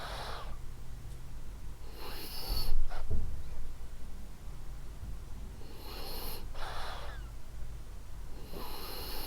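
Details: Female French Bulldog Ariva asleep, snoring gently: raspy, hissing breaths arrive in bursts every two to four seconds over a steady low rumble, with one louder snort-like breath in the middle.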